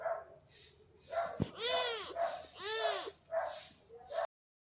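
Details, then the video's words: Little gray kitten asking for love, giving a run of meows: short nasal calls around two falling, arched, harmonic-rich meows in the middle, then two brief calls before an abrupt stop. "little gray kitten asking for love"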